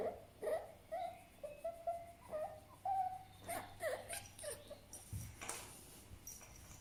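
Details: Fennec fox giving a run of short, whimpering, tonal squeals about twice a second, each slightly wavering in pitch, with a soft low hum underneath and a few dry clicks and rustles near the end.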